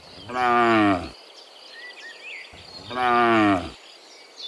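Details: Two strong, harmonic moos about two seconds apart as cows return from the field to the pen in the morning. Soft bird chirps are heard between them.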